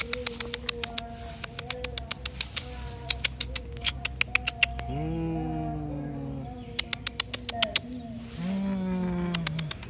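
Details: Feral cat, described as beautiful and affectionate, giving two long drawn-out meows that rise then slowly fall, plus shorter mews, over steady background music notes and rapid sharp clicking.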